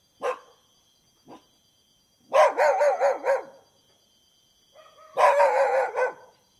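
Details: Dog barking in quick bursts: a couple of faint single yaps, then two rapid runs of four or five harsh barks each, a few seconds apart, with a thin steady tone in the background.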